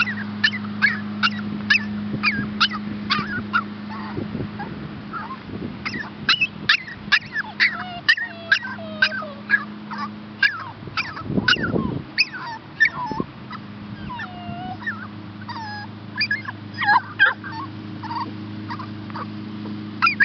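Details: Rescue puppies Olive and Max, a Chihuahua pup and a Shepherd hound pup awaiting adoption, give a busy stream of short, high yips and squeaky whimpers, many overlapping, over a steady low electrical hum.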